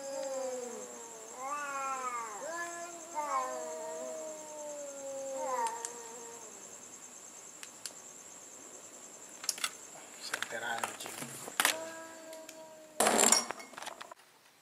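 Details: Cats in a nighttime sound battle: drawn-out, wavering yowls that rise and fall in pitch over the first six seconds, then quiet broken by scattered clicks and a sharp noise burst near the end.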